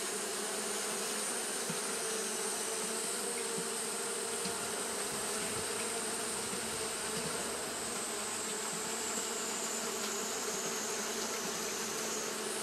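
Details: Japanese honey bees fanning without pause on a hot day, making a dense, steady droning hum with a low buzzy tone that holds constant throughout, with many wings blending into one continuous sound.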